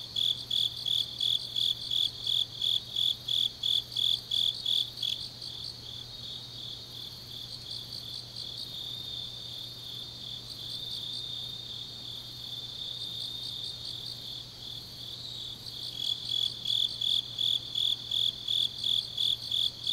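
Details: Autumn grass insects at deep night in Changnyeong, Gyeongnam: high pulsed chirping for five seconds, then a quieter stretch of softer distant trills, before the loud rhythmic chirps resume near the end.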